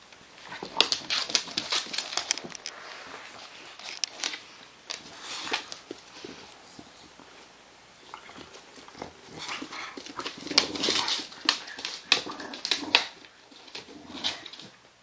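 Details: English Bulldog mother playing with her puppy on a play mat; rough play with repeated short snorting, huffing bursts and scuffling, coming in clusters with brief pauses over fifteen seconds, no clear barks.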